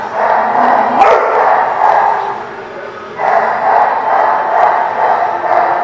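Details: Dogs recorded on 23 September 2016 at The Barking Lot, several voices barking in overlapping, reverberant bursts that merge into a near-continuous din, with one sharp bang near the start.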